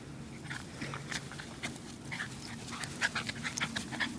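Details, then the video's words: Two playing dogs, a female wire fox terrier and her foster brother, rough-housing in a chase game; rapid breathy panting bursts repeat several times a second, with light scuffling underneath. "Rough-housing, terrier style"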